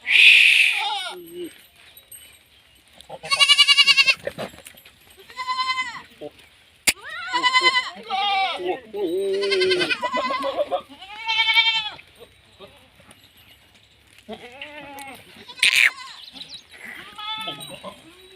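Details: Farm goats in Rajasthan, India, giving a run of wavering nasal bleats, some short and some drawn out, interleaved with human speech and a sharp click.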